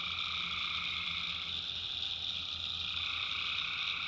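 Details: Tree frogs at night in North Carolina backwoods, a steady shrill wall of high trilling calls with a lower droning band, unbroken for the whole stretch.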